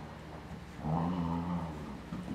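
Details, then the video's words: Twelve-week-old Airedale Terrier puppy playing tug with a four-year-old larger dog; a quiet start, then a low rumbling play growl held for about a second, easing off and returning briefly at the end. "Airedale Puppy playing Tug with a Big Dog"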